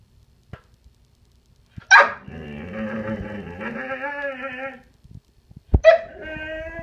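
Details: Pet Irish Setter whining insistently: a sharp yelp opens into a long, wavering, nasal whine lasting nearly three seconds, gently falling, then another yelp rises into a second high whine.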